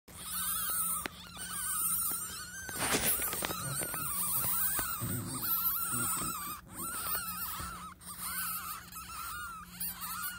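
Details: Newborn black-footed ferret kits, three born May 19, 2021 in a conservation breeding programme and watched on a live webcam, give thin, wavering squeaks that run almost without a break.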